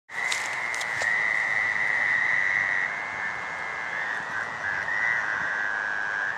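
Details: Gray treefrogs giving mating calls at night on May 11, 2013, in a drainage swale: a dense, continuous trilling chorus of many frogs forming a steady buzzing band, with a few brief clicks near the start.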